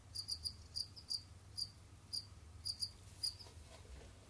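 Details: Kept Jamaican field crickets wandering, digging and hunting; evenly spaced shrill chirps, single and paired pulses roughly every third of a second, over a soft low rumble.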